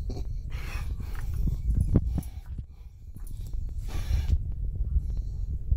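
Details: Snickers, a pet miniature schnauzer, objects to the owner waking the young son. Deep throaty grumbles and snuffling snorts come in uneven bursts, fading briefly midway, then building again, with bedding rustle behind.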